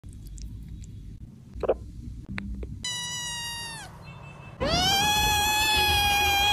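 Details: Kitten meowing: after some quiet handling noises, a drawn-out high meow that slides downward, a pause, then a louder, sustained meow holding steady, with rich harmonic overtones.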